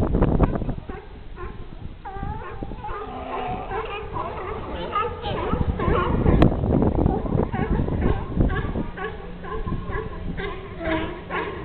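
California sea lions bark in a noisy chorus of harsh, honking calls, with people talking nearby.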